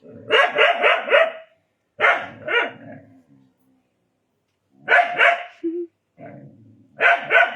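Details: Indian desi dog barking in rapid volleys of four or five quick barks, pausing between bursts, then starting again, loud and close.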